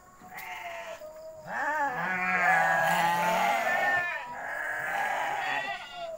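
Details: Goats in a pen at night bleating repeatedly: a short cry, then a long drawn-out wavering bleat with a rising and falling pitch, followed by another shaky bleat, with low background hum.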